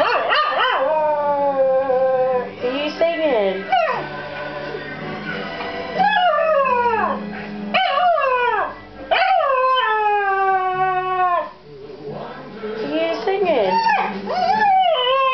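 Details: A 6-month-old Cocker Spaniel from Melton howls in long, wavering, rising-and-falling tones, "singing" along to Elvis Presley's "The Wonder of You".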